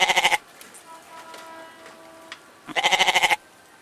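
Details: Goat giving two short, quavering, pulsed bleats, one at the start and another nearly three seconds later, with a quiet murmuring background between them.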